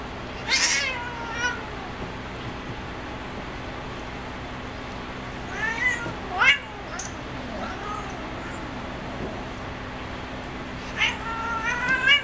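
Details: Female cat Spazzo plays on her cat perch, giving a loud meow at the start, a cluster of quick rising meows midway, and further tonal meows near the end, with steady background hum.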